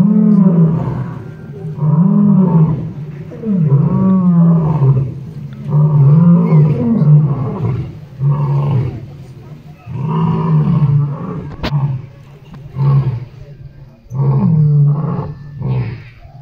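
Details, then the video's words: Lions at Crimea's Taigan park calling to each other in the evening roll call; a steady run of deep grunting roars repeats about every second or two, with brief pauses between bouts. "ЛЬВИНАЯ ПЕРЕКЛИЧКА!!!. Walk in Taigan, part 3,lion roll call."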